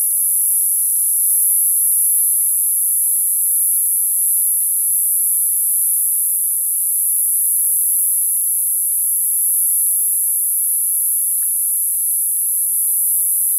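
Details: Summer cicadas: a steady, unbroken, very high-pitched shrill drone holding an even loudness throughout, with no pauses and no other clear sounds.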